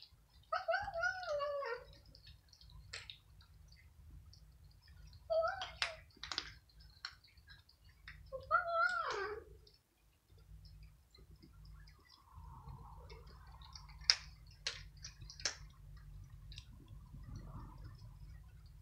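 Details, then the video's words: Kittens and cats fighting over a large serving of dry food in the evening; three strained, descending meows in the first nine seconds, followed by crunching, clicking and faint murmuring against a low background hum. "Incredible War Between 5 Kittens And Cats For Food"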